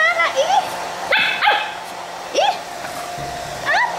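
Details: Pit bull letting out short rising yelps and whines in four quick bursts across about four seconds, with a person talking nearby and a steady low hum underneath.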